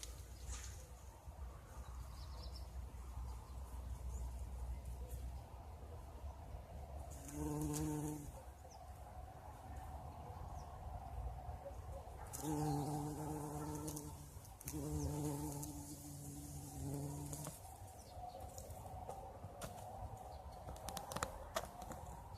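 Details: Spring bumblebee working blossoming currant bushes, its deep drone heard in three short passes of one to three seconds each, separated by quieter stretches of low rumbling background and light rustling.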